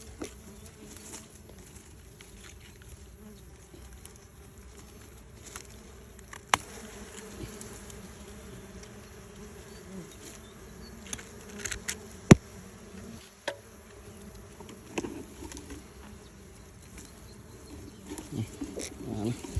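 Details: Bees around two nests close together, one colony having abandoned its nest, in a tree; a continuous low hum of many bees with scattered sharp clicks and a few brief knocks.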